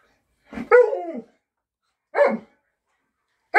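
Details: Alaskan Malamute 'talking' on a hand command indoors: a drawn-out, wavering harmonic woo-like vocalization lasting about half a second, followed by two shorter grumbling barks.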